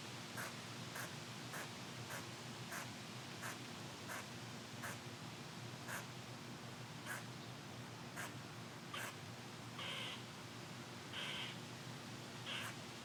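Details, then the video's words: Upset squirrel in a windy tree, angered by someone recording near it: a long run of short, dry barking chucks at an even pace, then a few longer, higher rasping squeals near the end, with steady wind noise throughout. "Angry Squirrel In Windy Tree"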